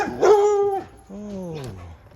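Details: A dog gives two drawn-out, tonal yelping barks, the second sliding steadily lower, while a cat sits watching it from up a tree.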